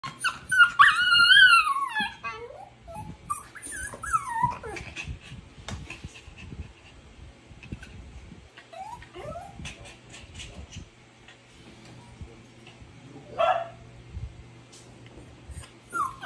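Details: Miniature Pinscher, a female dog left out and not walked, whining until others arrive: high wavering whines and yelps in the opening seconds, then softer intermittent whimpers with quiet rustling between.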